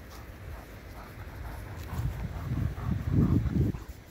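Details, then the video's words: German Shepherd playing with a ring: low, rumbling pulses repeated about four times a second, quiet at first, then growing louder and denser over the last two seconds before easing off. "German Shepherd-play with ring"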